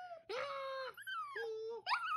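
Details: Singing Chihuahua howling in short tonal phrases: a held, even note, a brief high glide, then a lower steady moan, ending with a sharp rising high yelp.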